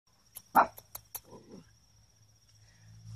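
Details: Havamalt and Chihuahua mix puppies playing outside: one sharp, loud bark, followed by a few soft, low grunting sounds, over quick, faint clicking taps and a steady low background hum.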